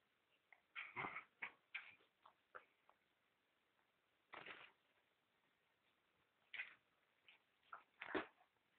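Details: A male pet dog at play gives short, high, scattered yips and whimpers in uneven bursts, with quiet gaps between them.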